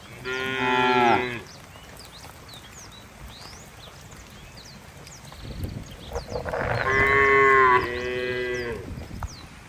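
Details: Cattle being herded along wet roads to farm pens in the rainy season give two long, loud, rich harmonic moos separated by a quieter spell.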